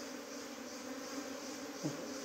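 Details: Bees buzzing as a swarm tries to leave and is saved from absconding: a steady, low, droning hum with overtones that holds evenly throughout, with one brief soft knock near the end.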